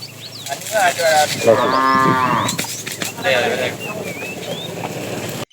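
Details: Fat cow in a tame herd out in the afternoon, calling the female, gives a rough moo of about a second amid rustling, clattering noises and a few bird chirps.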